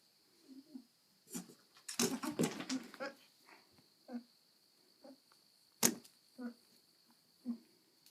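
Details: Pet goat recorded close up, at one point trying to mount its owner; short low grunting calls come in bursts, some with faint harmonics, with a cluster of rapid snorts near two seconds and sharp clicks and knocks between.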